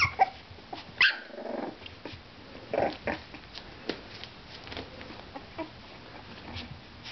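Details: Four-week-old purebred Miniature Schnauzer puppies with black and white parti-coloured coats playing indoors: one sharp high yelp early on, then scuffling, soft thumps and faint squeaks as they tumble about.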